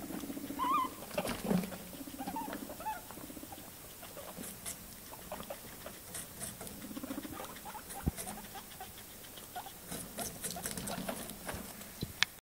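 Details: Pet guinea pigs eating cucumber: steady crunchy chewing and nibbling clicks throughout, with a few short, high squeaky notes near the start.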